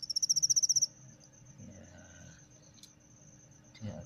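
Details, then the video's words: Captive male cricket singing after a female is put in with him, which arouses him. A loud burst of about eleven rapid, very high, shrill pulses opens the recording, then fades to a faint thin buzz with soft handling noises. "cara melatih jangkrik supaya cepat berbunyi"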